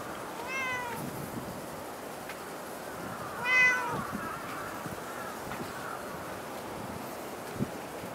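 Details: Cat at Dockyard Garden, recorded 28 August 2016 around 06:10 in the morning: two short harmonic meows a few seconds apart, the second louder and rising then falling, over a steady broadband hum of background noise.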